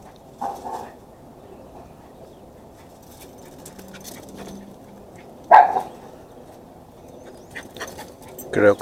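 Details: Max, a Chihuahua cross pet dog, running around wildly at home, gives a few short sharp barks spaced several seconds apart, separated by quiet stretches with faint scuffling.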